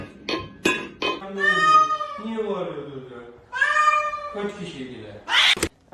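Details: A cat indoors gives two long, drawn-out wavering meows, the second rising then falling, amid short clicks and knocks and people talking nearby.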